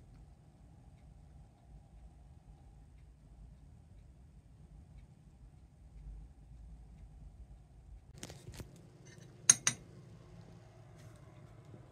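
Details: Near-silent indoor room hum broken by a few sharp clinks and taps around the eighth to tenth seconds, with no animal calls.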